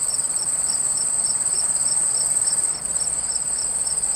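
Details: Several crickets call beside a running stream: a bright sustained high trill layered with evenly spaced pulsed chirps, roughly three per second, over a constant wash of water noise.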